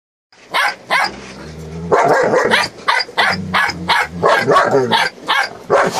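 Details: Eight-week-old Belgian Malinois puppies in Williston, Florida, recorded on 22 November 2018, yapping in a rapid, uneven run of sharp, high barks and yips, roughly three per second, some overlapping, with a short low growly stretch early on.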